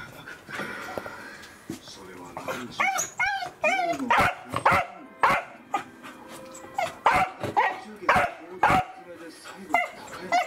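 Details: Excited Welsh Corgis recorded on December 4, 2020: whiny rising vocal notes, then a run of sharp barks at irregular intervals roughly once a second, mixed with a person's voice.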